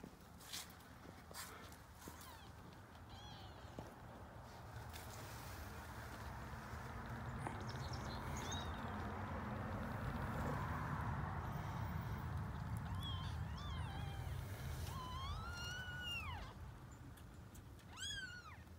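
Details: Grey tabby kittens born to a formerly homeless female cat: a long stretch of low rumbling background noise, then several thin, high, arching meows near the end.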